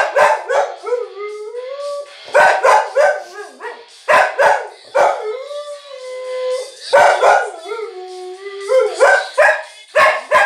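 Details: Pet dog in Ivanovo, Russia, howling along to an AC/DC song: long wavering tonal howls that rise and hold, several in sequence, over loud rock music with pounding drums.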